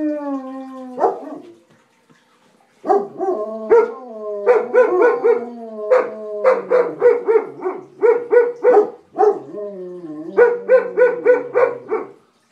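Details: Two German Shepherds howl at a tornado siren in long, wavering tones broken by quick, yelping bursts.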